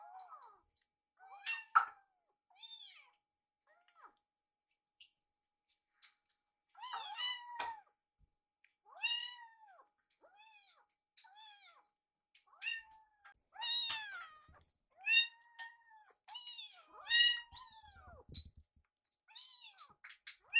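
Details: Two foster rescue kittens, one named Yuki, sit side by side staring at a microwave while waiting for food, giving many high, thin meows, some rising then falling, others short and clipped, in quick irregular bursts with brief silences.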